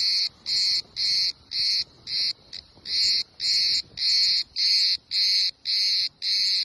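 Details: A cicada camouflaged on a tree on the island of Kos, Greece, sings loud buzzing pulses, about twelve in under seven seconds, each a harsh half-second rasp separated by short even gaps.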